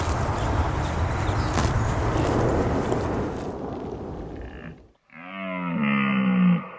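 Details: A deer eating makes several seconds of dense crunching, rustling noise, then a short pause and a loud, sustained harmonic growl that slowly falls in pitch.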